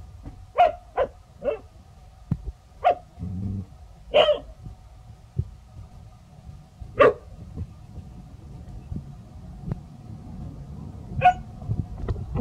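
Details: Two village dogs named Pao and Rank barking seriously after meeting a snake; sharp separate barks spaced one to three seconds apart, with a steady faint hum in the background.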